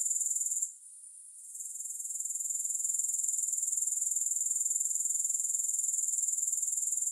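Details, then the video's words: A high, hissing insect trill from grasshoppers pulses rapidly and regularly. It drops out briefly near the start, then swells back to a constant chirring with no music. "Grass Hopper Sounds"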